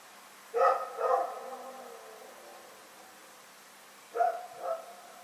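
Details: A dog, Rex, barking during the night on February 27, 2018: two quick barks in succession, a faint low tone, a three-second lull, then another paired bark, all over steady low hum.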